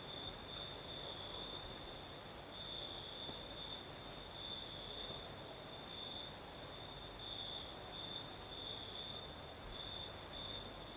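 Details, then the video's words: Night chorus of crickets in the south of Crimea, breeze blowing: continuous shrill trilling, gently pulsing in loudness, a thin very high shimmer on top and a steady airy wind hiss throughout. "Сверчки поют"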